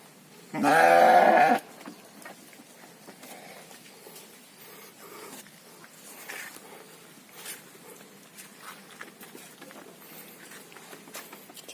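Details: Sheep (kibas, a fat-tailed domestic breed) on an Indonesian farm raised for a three-month fattening cycle: one loud, harmonic bleat lasting about a second, then quiet farmyard background with faint scattered noises and occasional distant human voices.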